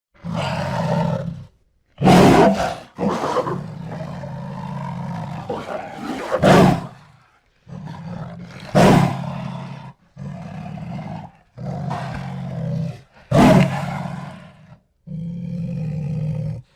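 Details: Jaguar roaring: deep, rough, low-pitched roars and grunts in bursts of one to two seconds, separated by short silences, with sharp broadband cracks between some bursts.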